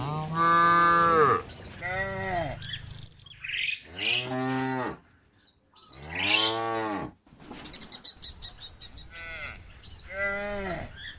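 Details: Cattle from a big herd, described as calling companions back to the barn, low drawn-out moos alternating with higher, strained arched bawls, about six calls in a row with sharp cuts between them.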